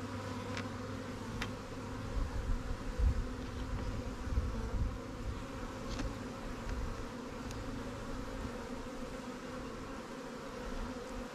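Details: Honey bees at new swarm hives in an apiary while the keeper moves resources from stronger colonies. Continuous low buzzing hum under a deeper rumble, with a few faint clicks and knocks from handling equipment.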